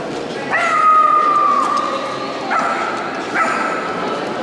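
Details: A female Miniature Schnauzer in the intermediate class at a dog show special ring for schnauzers in Luhansk, 22 May 2010; a long high whine of about a second, then two shorter whines, over a hall of background noise.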